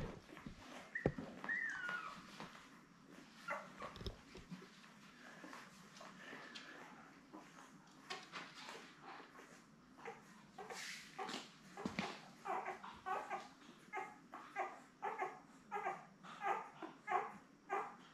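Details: Newborn Labrador Retriever puppies, a litter of seven born May 24, 2021, with their mother Belle on an indoor puppy cam: brief high whimpers and squeaks early, then soft rhythmic pulses repeating near the end, over rustling and clicking bedding.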